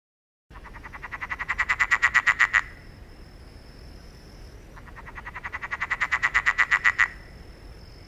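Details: One of the rare frog sounds: a rapid pulsed trill that swells in loudness over about two seconds and stops sharply, given twice, over a constant hiss of background noise.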